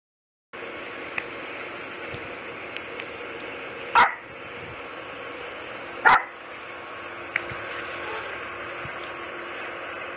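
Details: Jack Russell Terriers in hyper play mode, one running around wildly: two sharp, short barks about two seconds apart over a quiet steady background hum.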